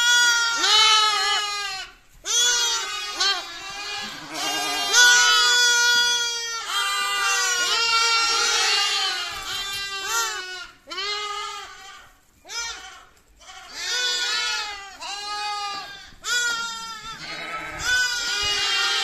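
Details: Lamb bleating insistently, a run of roughly a dozen shaky cries of varying length, some rising then falling, with short gaps between them across nearly twenty seconds.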